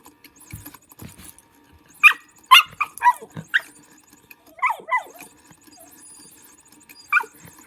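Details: Lulu the dog barks excitedly at a motion cat toy: a quick burst of about five barks, then a pair of yelping barks and one last bark, with the toy's soft mechanical whir in between.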